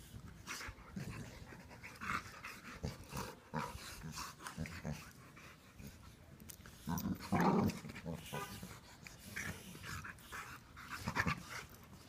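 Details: Two Cane Corso sisters, blue brindle Inga and Laima, playing: short gruff growls and grunts come in uneven bursts, the strongest around seven and eleven seconds, mixed with scuffling and panting.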